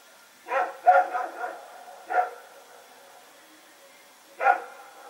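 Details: Two dogs, Rex and his companion, running around at night on Sep 21, 2018, in Pyrga; sharp harmonic barks in a quick cluster of three to four, then single barks about two seconds apart, over a quiet background.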